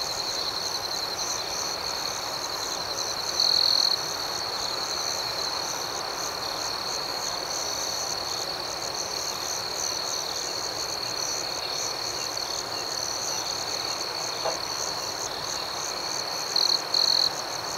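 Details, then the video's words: Crickets at night in a calm outdoor setting: a steady, high, shimmering chirp runs throughout, with brief louder trilled bursts near the fourth second and again close to the end, over soft broad hiss. "Soothing Cricket Sounds"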